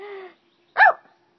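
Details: Pet dog playing with its owner at home: a drawn-out steady whine, a pause, then one short sharp bark; no other sounds.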